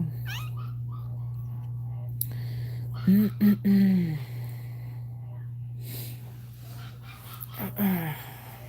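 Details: Cane Corso whining indoors while Cashmere, another Cane Corso, is in labour: a cluster of short, arched, tonal whimpers midway, with one more brief whine near the end, over a steady low electrical hum and faint human voices.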